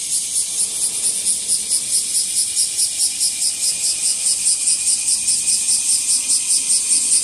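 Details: Washi-washi, the bear cicada, in full voice as its numbers build up, heard among trees and grass. A shrill metallic rattle pulses very regularly, a little over two beats per second, steady and loud throughout.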